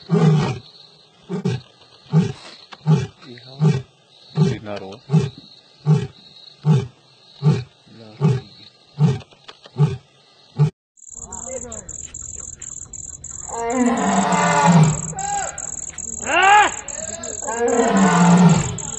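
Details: Asiatic lion on safari in Gir National Park, Sasan Gir: a steady run of about fourteen deep, grunting pulses, one every three-quarters of a second. After a short break come human voices and high insect trilling.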